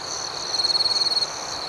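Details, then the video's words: Night cricket chirping: one close insect gives a rapid pulsed trill of about a dozen beats lasting under a second, set against a continuous high-pitched chorus of other crickets. "Soothing Cricket Sounds"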